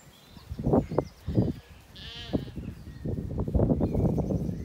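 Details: Zwartbles lambs settled after weaning, wandering and grazing in an orchard on a farm in County Kilkenny, Ireland, in the evening; short low bleats and a higher wavering bleat amid chewing and rustling sounds.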